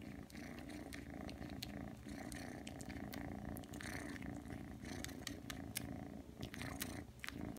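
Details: Three-month-old Ragdoll kitten Aki purring steadily while kneading and suckling at home, the deep continuous rumble overlaid with irregular sharp smacking clicks.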